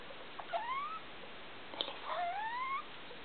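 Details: Felica the pet degu, heard indoors at 2 a.m. under the room light, utters two clear rising whistles with bright harmonics, each about half a second long, separated by a short chirp.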